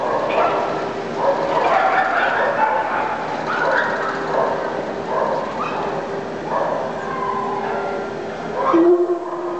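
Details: Dogs in the busy grooming area of the Hot Springs, Arkansas Dog Show on September 27, 2008, where Newfoundlands and an Ibizan Hound are present. Short barks and yips recur every second or two over constant indoor crowd murmur and voices.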